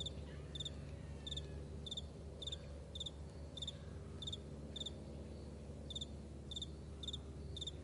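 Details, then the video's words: A cricket in a wide morning meadow repeats sharp, high chirps at a steady pace of about one every two-thirds of a second, with a soft distant rumble below. "Morning Crickets"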